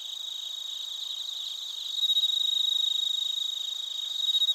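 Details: Bell crickets and other crickets in Narita, Chiba Prefecture, Japan, recorded on a TASCAM Portacapture X8: high, rapidly pulsed chirping in a dense chorus, growing louder after two seconds, with a fainter steady shrill buzz above.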